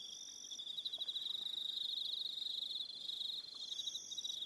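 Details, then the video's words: Crickets in the evening on Aroha Island, New Zealand: a dense, high, pulsing trill runs without a break, with a fainter, thinner buzz above it that stops and restarts. "Relaxing Evening Sound of Crickets"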